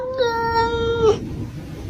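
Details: Domestic cat giving one long, steady, level meow of about one second with rich harmonics, ending abruptly, then a quiet room.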